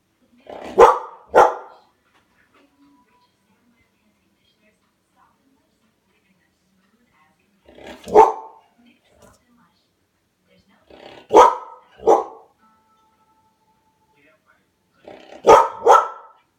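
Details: Female foster greyhound, a former racer, barking indoors at her reflection in a grandfather clock; loud sharp barks, mostly in pairs, spaced by several seconds of quiet, with faint background tones between.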